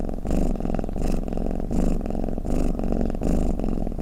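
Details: Cat snore-purring: a deep, rough drone that louder surges break into even cycles about every seven-tenths of a second, like slow in-and-out breathing.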